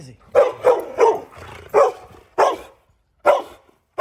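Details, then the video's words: An angry dog squaring off against a dogo argentino lets out six loud, gruff barks in four seconds, the first three in a quick run, the rest spaced by short pauses. "Angry dog"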